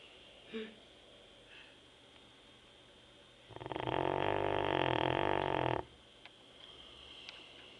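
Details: Labrador Retriever named Teco snoring while asleep indoors: one long loud rasping snore of about two seconds with a broad buzzy band, a few faint short sounds around it, quiet room otherwise.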